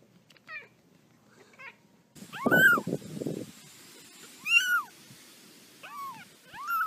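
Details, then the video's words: Playful kitten mews repeatedly, short arched cries rising and falling, a few seconds apart, after a burst of rustling handling noise and faint voices. "Kittens Meowing"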